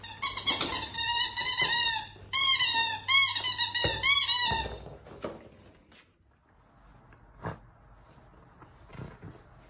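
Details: Miniature dachshund at play indoors in a small room, giving a run of high, whining squeals with strong overtones, two bursts of about two seconds each, followed by quieter scuffling and soft noises.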